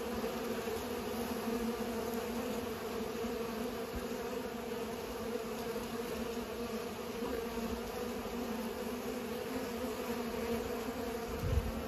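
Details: Bees busy pollinating give off a long, even, low-pitched buzzing drone of many wingbeats together, steady from start to finish with a small thump at the very end.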